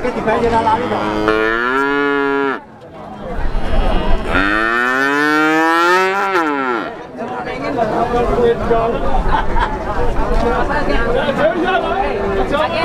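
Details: Six-month-old Pegon cattle calves at the Plaosan cattle market in Magetan, Indonesia: two long drawn moos, one ending near 2.5 seconds and a louder rising-falling one from 4 to 7 seconds, amid crowd chatter and market noise.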